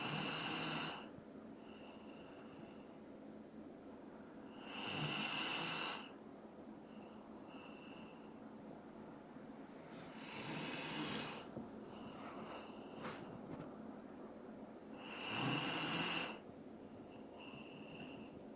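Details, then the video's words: ['Sleeping Dobermann Doran snoring steadily: four long hissing, wheezy inhalation snores spaced about five seconds apart, each with a faint whistling edge, in a quiet indoor room.'] "도베르만 코골이"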